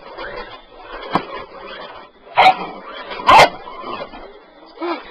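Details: Bull Terrier puppy barking at a sweeper it wants to attack, a couple of loud, abrupt barks about a second apart between softer sounds and background room noise.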